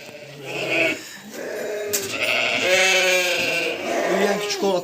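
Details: Young lambs at evening feeding, the flock about one and a half months old. A run of quavering bleats, one overlapping another, mixed with a man speaking in the background.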